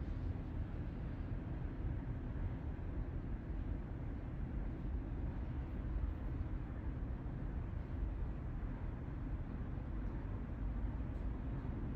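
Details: Steady low rumble like a vehicle engine or road noise fills the whole recording, with no animal sound.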